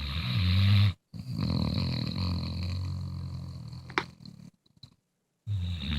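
A sleeping Bluetick Coonhound gives low, rattling snores, each breath a long rough rumble. A brief pause of silence breaks the sequence before the deep snoring resumes.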